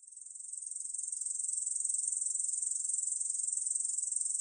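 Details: A Korean bush cricket (katydid) gives a continuous, high, buzzy trill made of rapid, even pulses; Korean bush cricket.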